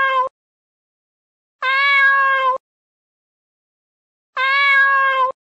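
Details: Cat meows, meant for scaring rats: three clear, tonal, harmonic-rich meows, the second and third each about a second long and level in pitch, separated by silence.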